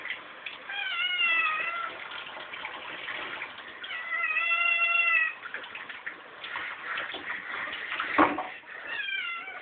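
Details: Domestic kitten impatient at feeding time, meowing insistently: several long, wavering meows about every two to three seconds, each slightly rising then falling, with a sharp clatter near the end.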